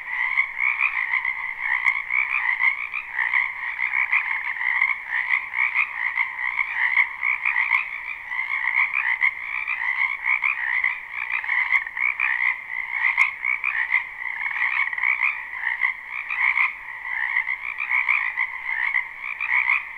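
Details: Springtime wetland frogs in full chorus, recorded live: dense, continuous trilled croaking in a mid and a higher band, rhythmic swells roughly forty times a minute, irregular and overlapping, no voices or other animals evident.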